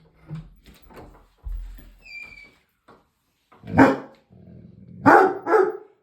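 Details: Dog barking at its own reflection in a mirror: after soft murmuring and low human speech, three loud, sharp barks burst out, a single one followed by a closely spaced pair near the end.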